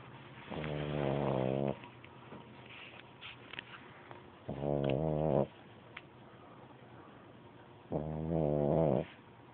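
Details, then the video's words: Sleeping pug puppy snoring: three rasping, buzzy snores, each about a second long, repeating roughly every three and a half seconds, with quiet breathing between. "Snoring pug pup"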